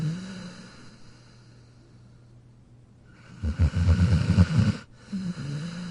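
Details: Jack, a dog sleeping in his dog bed, snores in a single rough, low rumbling burst around the middle after quiet breathing, then a softer exhale; a steady low hum runs underneath.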